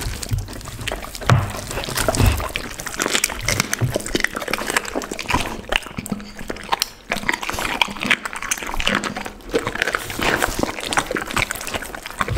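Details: Pit bull dog eating a lunch of raw chicken, duck and cauliflower indoors; dense, wet crunching and snapping bites fill the whole stretch in rapid irregular bursts, with a low hum underneath.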